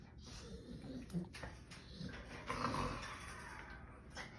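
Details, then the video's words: Bulldog scratching his back indoors, making low, throaty golem-like growling noises in short irregular bursts, with rustling and scratching sounds throughout. "Bulldog making golem noises scratching his back"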